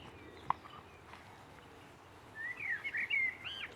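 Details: Boston Terrier puppies, six weeks old, quiet at first apart from a single click, then breaking into a quick run of high, wavering squeaks and whimpers in the last second and a half.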